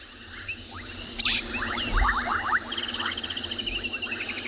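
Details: Many bubbling kassinas call together at a dam on a summer afternoon in a South African game reserve, brief bubbly popping notes overlapping into a busy chorus, with painted reed frogs' shrill whistles and a faint low rumble.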